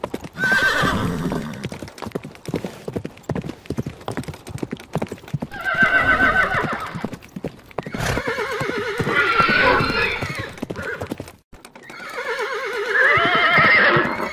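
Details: Horse neighing in four loud bouts, each a shaky, wavering whinny that breaks into rough harmonics, over steady clip-clop of hooves and occasional snorting breaths.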